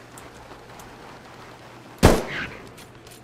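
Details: A single sharp bang, like a gunshot, cuts through a low steady hum, with no animal calls.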